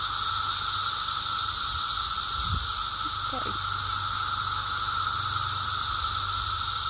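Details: Emerging Brood X periodical cicadas fill the air on a walk with a constant buzzing drone and shrill hiss; brief low sounds break in around the middle.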